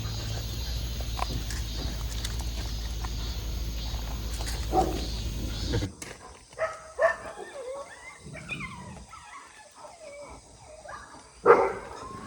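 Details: Dog barking in a countryside yard, where Heukgomi, a neutered male Jindo and black Labrador mix, peers at the neighbours' two large dogs and two ducks; a steady rumble of wind gives way to a few sharp, scattered barks.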